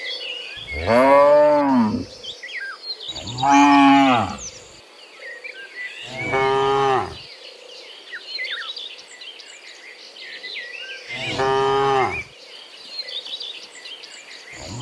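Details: Dozens of cows walking home from the fields to the pen in the afternoon give long, deep, harmonic moos, one every few seconds, over faint chirping insects.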